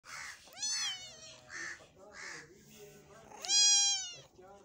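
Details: Cat eating meat; two loud, drawn-out meows with bright rising-falling harmonics come about three seconds apart, with softer murmuring sounds between them.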